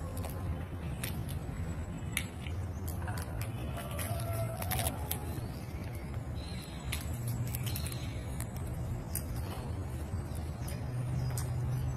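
Low traffic rumble with metallic jangling clicks and faint voices, no animal calls heard.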